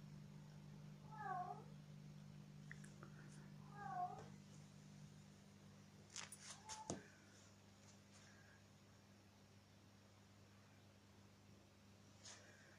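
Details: Young kittens romping and learning to play indoors; two thin rising-falling mews near the start, then clattering play noises and a steady low hum in the room.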